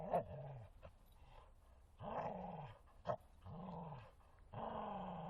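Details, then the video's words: Martin, a Bull Terrier, romping in a forest and voicing several drawn-out throaty growls with rising-falling contours, interspersed with sharp short snorts, separated by short pauses. "Бультерьер Мартин - игры в лесу)"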